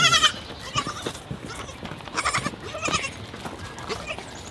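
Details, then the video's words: Baby goat at feeding time giving a brief nasal bleat at the start, followed by fainter quavering calls amid rustling and mouthing sounds. "Baby goat feeding"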